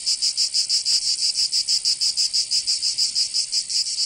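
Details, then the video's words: Cicadas in summertime Provence, southern France: a sharp, high, rattling buzz made of rapid, clearly separated pulses in a fairly regular rhythm. "Canto Cigarra 🦗 [ Escuchar les cigarras en verano 10 H]"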